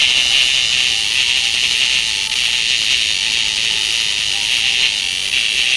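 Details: A child holds a cicada in one hand to make it sing, and it gives a loud, steady, high-pitched buzz that drones on without a break.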